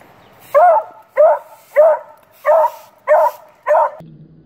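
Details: A Beagle puppy, seemingly a little afraid of a broom, barks at it six times: short, bright, fairly high barks about every half second, ending abruptly, followed by a faint low rumble.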